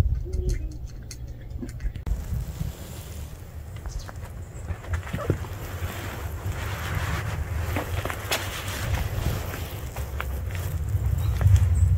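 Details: Outdoor scene with steady low rumbling wind buffeting the microphone and scattered soft knocks, with no animal voice heard.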